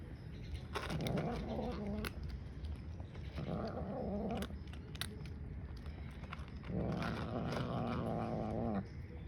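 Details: Grey and white domestic cat growling a warning while eating as another cat lurks nearby; three drawn-out, low, wavering moans of about two seconds each, separated by pauses, over clicks and chewing noises.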